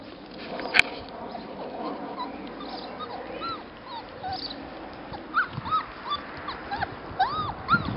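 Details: Little labrador retriever pups at their first meal from bowls, with a sharp click early on, then rising-falling whimpers and yelps grouped in the later seconds over a busy background of eating noise.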